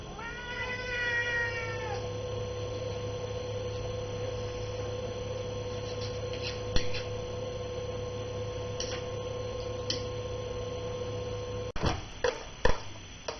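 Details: Hungry domestic cat at noon, waiting for a chicken meal: a single drawn-out, tonal meow rising then falling near the start. A steady low hum follows, with scattered soft clicks and a few sharp knocks toward the end.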